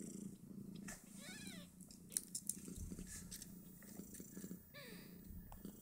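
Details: Snowshoe Siamese litter of five kittens, two days old, suckling from their mother and jostling for teats: continuous low purring with two short high wavering squeaks and scattered smacking, sucking clicks.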